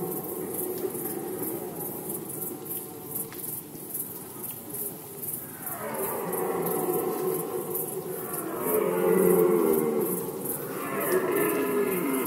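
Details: Red deer stag roaring during the 2020 rut in Poland: after several quiet seconds, a series of rough, groaning roars builds in loudness toward the end, backed by continuous high-pitched pulsing chirps.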